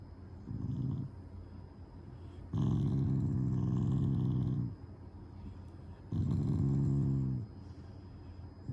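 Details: Shiba Inu growling while lying down, an expression of affection toward its owners rather than anger: three low rumbling growls, short then two longer ones of about two seconds, separated by quiet breathing.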